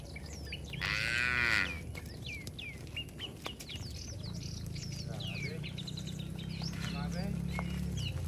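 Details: Tame cattle herd walking home to their shed in a village, calling to each other. A short, loud, bright moo rises and falls near the start, then a long, low, droning moo follows. Many small birds chirp steadily throughout.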